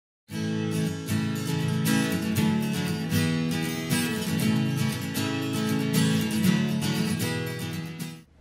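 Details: Steady strummed acoustic guitar music plays throughout, with no animal sound.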